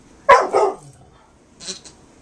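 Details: A Carolina Dog and a black Labrador gently play at recovering a squeak toy covered by a person's arms and body, recorded in 2008; two sharp barks in quick succession, then a faint squeak near the end.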